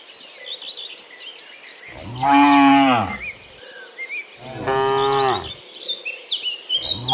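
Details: Herd of cows heading from the fields to the pen in the afternoon, mooing; two strong, rich moos and the start of a third, over chirping crickets and birdsong.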